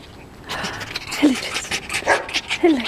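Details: Tame fox, excited and pleased to see its keeper, gives a few short, sliding whines that drop in pitch, mixed with breathy huffs, over a brief moment.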